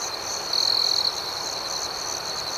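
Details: At night, crickets keep up a high, even trill under quicker pulsed chirps, with one louder sustained note standing out for about half a second.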